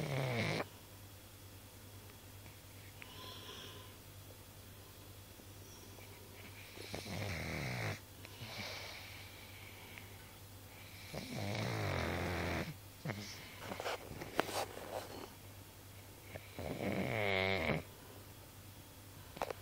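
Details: Comfortably sleeping pug with quiet, wheezy breathing broken by louder grating snores around the middle and a strong rattling snore near the end, in a quiet room.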